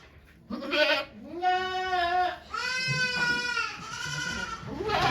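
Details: Goat Okayu in labour at Yoshigake farm on 3 May 2023, delivering two kids while many volunteers watch. Two long, drawn-out, wavering bleats form the core, with shorter strained cries at the start and end.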